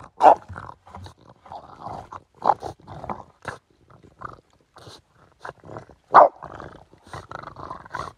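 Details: French Bulldog at a river bank with its owner, making a run of choppy grumbling growls and snorty vocal bursts, two louder yelping peaks standing out among the uneven chatter.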